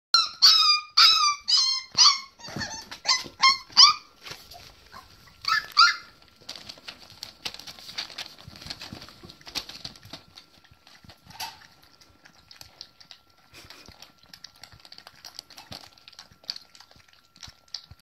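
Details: Border Collie puppies about four weeks old during a barrier challenge: a burst of high, rising whines and yelps repeated rapidly for the first four seconds, one more near six seconds, then faint scuffling and shuffling.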